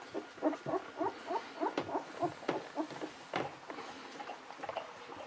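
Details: Newborn Golden Retriever puppies, aged 11–13 days, from parents Aiko of Haarby and Lady Dina, making a quick run of short, evenly pulsed squeaks and grunts, about three per second, fading into quieter shuffling.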